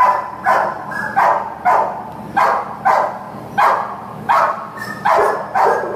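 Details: American Pit Bull Terrier available for adoption at a shelter, barking steadily: nine or so loud, hoarse barks spaced roughly every two-thirds of a second, over a constant low mechanical hum.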